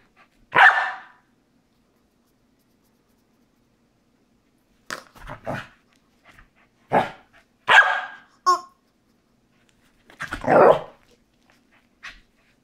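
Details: A Corgi playing with his squeaky chicken toy, once feared and now a favourite, barks in short bright bursts, single or in quick pairs, with pauses of a second or more and a brief squeak from the toy between barks.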